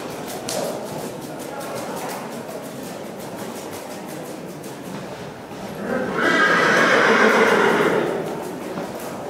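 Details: Colt foal, born 28 February and awarded a prize at a foal show: a loud harmonic whinny swells for about two seconds near the end, over loudspeaker commentary and rapid rhythmic clicking.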